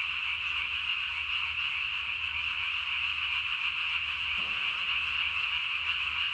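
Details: Japanese tree frog croaking at night on 3 May 2020, its single throat sac swollen as large as its body; a dense, rapid, rattling stream of high pulses holds at an even pitch throughout.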